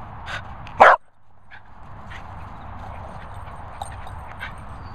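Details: Jack Russell Terrier giving one loud, sharp bark early on, then steady low background noise with faint ticks for the remaining seconds.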